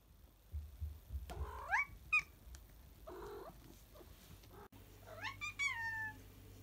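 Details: House cat exploring indoors after a daytime nap in late afternoon: a series of short rising chirps and squeaky mews, a muffled rustling burst, then a clearer upward-bending meow near the end over low room hum.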